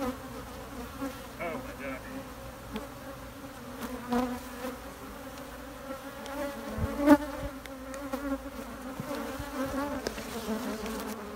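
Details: Steady, continuous hum of honey bees, a low droning buzz with a clear upper overtone, swelling slightly at moments, with faint clicks and knocks in the background.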